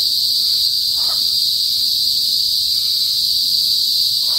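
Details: A continuous high, ringing buzz from cicadas (kuliglig) in a rural northern province of the Philippines, steady and intense, with a couple of faint soft noises in the lower range.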